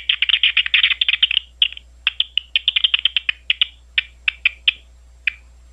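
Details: Big brown bat calls recorded at Ohio State University: fast runs of short, sharp chirps, dense at first, then thinning into scattered clicks about half a second apart, over a faint low hum.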